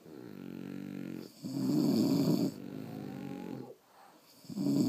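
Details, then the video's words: Sleeping pet French Bulldogs snore indoors, a soft nasal rasp giving way to a louder rough, rattling snore, then a quiet pause before the next loud breath begins. "Snoring French Bulldogs"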